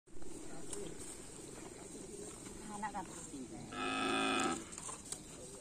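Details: ['Racing bull during Karapan Sapi bull race training at Asemanis field: a short, harsh moo of about a second stands out above steady outdoor background noise, with faint voices nearby.']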